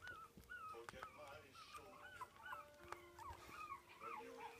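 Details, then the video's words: Four-week-old Biewer terrier puppy enjoying his first taste of meat, giving short high squeaky whimpers and curling whines in quick, uneven bursts, with steady faint tones and some voices underneath. "Nom Nom Nom. 4 wk old Biewer Pup enjoying his first taste of meat"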